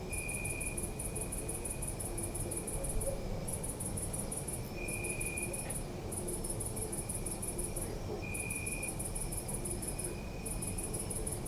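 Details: Several crickets at night in a city park, recorded with a Zoom F3: sustained high pulsed chirping in long runs broken by brief silences, an intermittent lower trill, and a constant background rumble of the night city.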